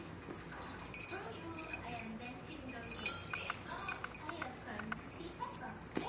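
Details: A 5-month-old female brown spotted Bengal cat makes quiet, wavering chirps and short mews that bend up and down in short bursts, over faint high tinkling like a small bell and low background noise.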